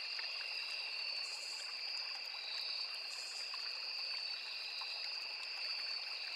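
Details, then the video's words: Nonstop high trilling from many crickets in a riverside forest, two even pitch layers with brief brighter buzzy swells near the top, over a steady rushing and trickling stream. "Sound of Forest and Small River | Crickets, Cicadas, Insects"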